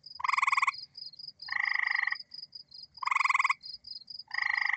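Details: North American gray treefrog (Hyla versicolor) calling with short, musical pulsed trills, repeated about every one and a half seconds.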